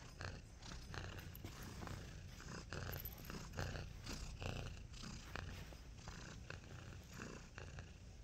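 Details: Nacho, a pet cat wearing a cone, purrs after waking from a nap: a steady low rumbling purr running throughout, pulsing about 72 times a minute, with faint rustling and handling noises over it.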